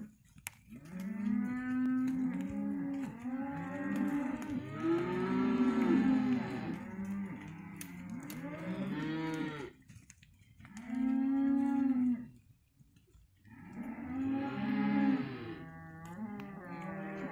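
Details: Young Hereford cattle, male and female calves offered as one lot, calling in a busy chorus of overlapping moos, steady and arched bawls piling up, with a brief lull near the end before more calling.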